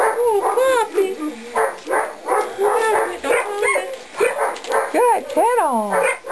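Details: Weimaraner x English Setter mixed puppies, 2.5 weeks old and just starting to get around, give a rapid string of high, squealing whines. The arching, harmonic tones rise and fall and overlap, with a voice faintly present.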